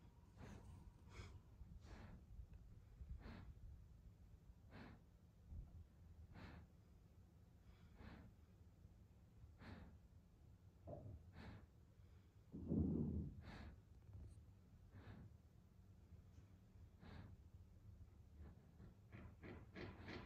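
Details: Evo, a German Shepherd going to sleep, breathes in a steady series of soft snorts and sighs about every second, with one louder, longer sigh in the middle, in a quiet room.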